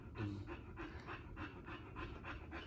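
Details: Pit bull type bully dog female panting while giving birth to her first litter; rapid rhythmic panting, about four breaths a second, steady throughout, with a faint low hum underneath.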